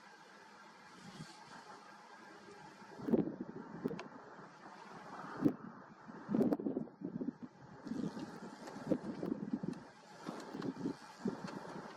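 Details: Only outdoor rumble and wind noise with scattered thumps and rustles; no animal voice stands out.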